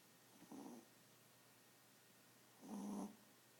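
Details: Small pet Chihuahua dog snoring while asleep, two raspy breath snores about two seconds apart, the second louder and longer, over a low, quiet background hum.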